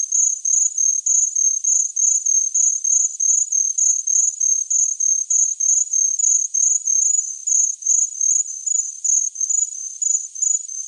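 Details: Steady cricket chirping, quick high-pitched pulses about three per second running evenly for the whole stretch, with no other sounds.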